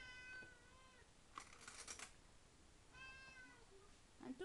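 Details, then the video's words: Domestic cat Tigroo, eager at mealtime while being served its food, gives two bright, harmonic meows about two seconds apart. Short clattering and rustling sounds come between them, and a faint bowl clink is heard at the end. "Chat qui parle / 話をする猫"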